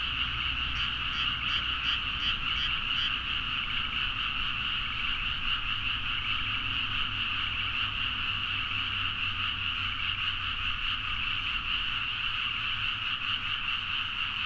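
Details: Frogs calling en masse at midnight in paddy fields of Nagaoka, Niigata, Japan, Zoom H4n; continuous overlapping croaks form a dense, even chorus, a closer rapid pulsing caller audible early on, low background hum throughout.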